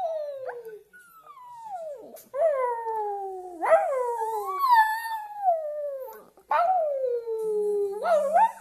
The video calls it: Singing Shih Tzu Maggie